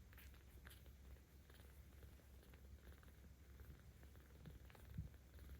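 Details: Low continuous purring from Aochan, a 17-day-old rescue kitten in Tama City, Tokyo, recorded 10 October 2022; the rumble grows louder when she is petted, an even deep drone with light handling rustles above it.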